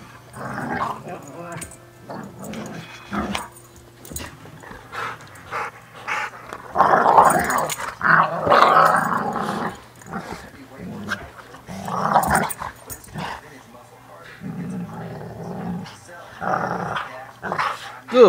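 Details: Dogs playing and biting each other, giving rough, snarling growls in irregular bursts, loudest in the middle and near the end, with a person's voice heard now and then between the growls.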